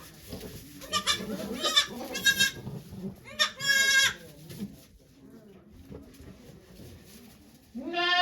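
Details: Goat bleats during the birth of the nanny goat Okayu, who delivered two kids on 3 May 2023 at Yoshigake farm in Japan with many volunteers watching. Two loud harmonic bleats stand out, a third begins at the end, and quiet murmuring runs underneath.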